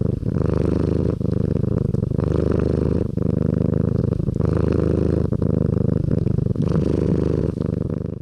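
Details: Domestic cat purring loudly and continuously close to the microphone, a deep throbbing rumble with faint breaks roughly every second, and no other sounds.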